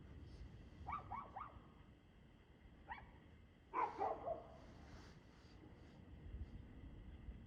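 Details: Barking dog heard 2/6/2024 at 6:02 pm: a quick run of three distant barks, a lone bark, then a louder, rougher cluster of barks near the middle, all set against low, constant background hum.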